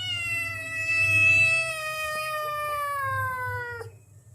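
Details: Domestic cat begging for food after already being fed: one long, drawn-out meow lasting nearly four seconds, steady then slowly falling in pitch, rich and nasal, ending abruptly; faint low room hum beneath.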